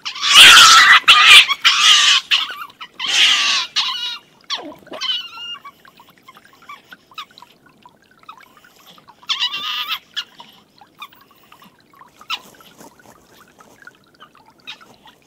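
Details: Two stone martens fighting on a livestream dated 21-04-18, the older, bigger Milton beating up young Martin. Loud harsh, rasping screeches burst out over the first four seconds, then fade to scattered faint squeaks and chatters.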